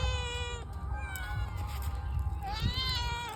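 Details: A domestic cat that craves fish meows as it is shown raw fish. Several drawn-out meows follow each other, the last rising then bending down, over steady low background noise.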